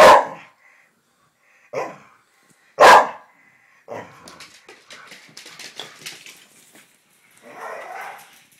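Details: Irish Terriers in an argument between two dogs, May 2010. Three sharp barks come first, followed by several seconds of lower, ragged scuffling growls and rustling.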